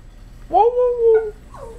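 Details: Yorkshire Terrier, excited about its owner's arrival, gives a short rising then level howl lasting under a second, followed by a brief falling yelp, indoors.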